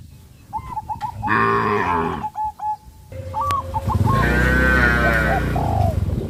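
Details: Cows on a traditional village farm running in fear into the forest, giving two deep, drawn-out harmonic moos, the second longer, with brief repeated bird chirps between and over them.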